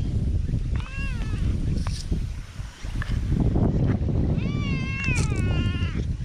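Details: People-loving black cat in a park, eagerly nuzzling a person, filmed on a GoPro; one brief meow early, then a long quavering meow near the end, over heavy low rumbling and handling noise.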